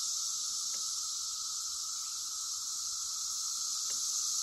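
Cicadas drone in a steady, high, hissing buzz that holds without a break.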